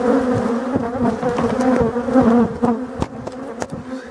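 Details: Black bees humming inside a Voirnot hive being set up for overwintering in a forest on 30 October 2021; dense, wavering drone with two steady tonal bands and sharp knocking clicks through the clip.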